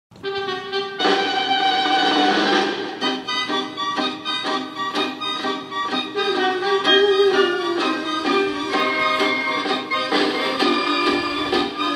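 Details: Lively traditional music with accordion and fiddle plays throughout, with no animal sounds.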